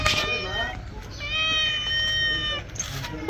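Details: Pet cat looking angry during a bath gives a sustained, steady wailing meow lasting over a second, preceded by a brief burst of human voice and ending in noisy splashing-like sounds.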